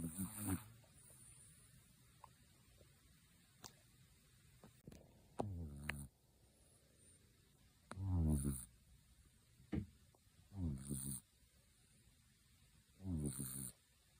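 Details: Tenchan, a kitten, snoring loudly like an old man indoors: low, rough snores with stacked harmonic buzz, coming in bursts about every two to three seconds, separated by quiet room hiss and a few faint clicks.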